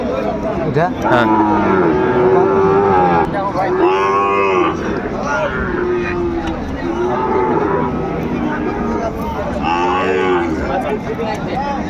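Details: Sahiwal cattle at Ambari market, Dinajpur, 18 November 2024, as selling of bull calves begins: repeated deep, drawn-out moos from several animals, some long and level, others arching, over a background of market crowd sounds.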